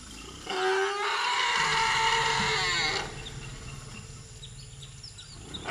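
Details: African elephants, a 38-year-old mother named Jamila with her year-old daughter, reunited with her juvenile son and calling loudly in excitement as they run together and flap their ears: one harmonic, wavering roar lasting about two and a half seconds, then quieter surroundings with faint bird chirps.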